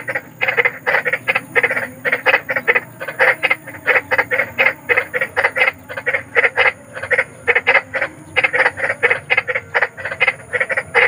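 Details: Large frog calling in the wild, croaks used as night-time sleep therapy: harsh, rasping croaks repeated steadily about four times a second, each short and broad-toned with a bright crackling edge, in a dense unbroken chorus-like run.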